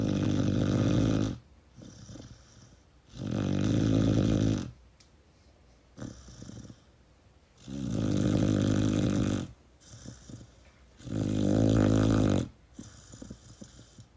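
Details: A Pit Bull puppy sleeps cuddled against its owner, producing four heavy, low, grating snores roughly every four seconds, with a short, weaker snort and quiet breaths between them.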